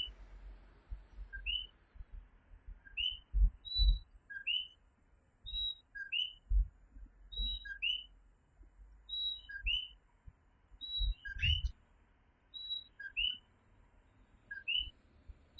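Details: Night chorus of coquí tree frogs in Puerto Rico: two-part calls, a short low note then a rising upper whistle, repeated roughly every second. Thin high tonal peeps from other callers join in, with soft low thumps underneath.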